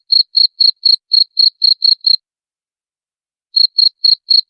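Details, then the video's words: Chirping cricket, played to repel rats: nine sharp, high chirps in quick succession, a silent pause of over a second, then four more chirps at the same fast pace. No background noise. "SUARA JANGKRIK PENGUSIR TIKUS"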